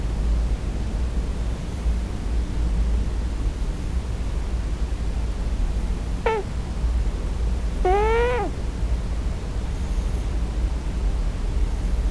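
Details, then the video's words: Sleeping male Scottish Fold crying for his real mother during his first night: after a long quiet stretch, one brief sharp mew, then a fuller, wavering harmonic cry, over constant low hum. "Scottish Fold 34 [Snoring? Dream Talking?]"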